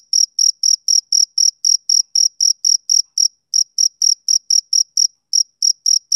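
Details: Male cricket chirping in a steady run of short, high, ringing pulses, about four per second, with two brief skips in the rhythm; no other sounds.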